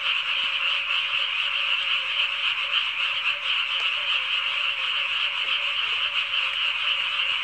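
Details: Dense chorus of many frogs by a harrowed rice field in summer, described as noisy enough to disturb sleep at night. A continuous buzzing, rattling wall of croaks, slightly pulsing, with no other sounds.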